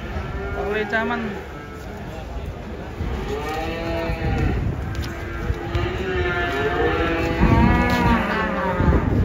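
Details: Cattle unloaded from a truck, one of them angry; repeated wavering moos overlap one another over a low rumble, with shouting handlers and faint music.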